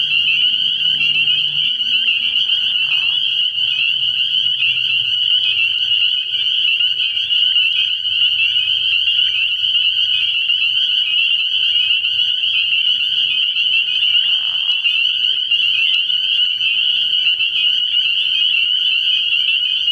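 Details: Spring peepers in full chorus at a frog pond at night early in the year, shrill high peeps massed into a steady, dense ringing, with two brief lower croaking sounds near three and fifteen seconds.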